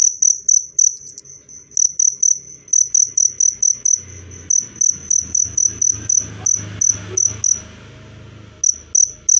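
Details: Cricket chirping, described as repelling rats and easing stress in birds: high pulsed chirps that falter and break into irregular bursts, with a low rumbling background noise in the middle and a pause near the end.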